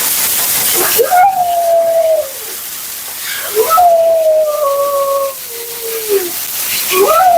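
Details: Talkative Husky Mila voicing her protest during a grooming bath; three sustained moaning calls that rise briefly then sag slowly, the middle one long with a step down at its end, water running in the background.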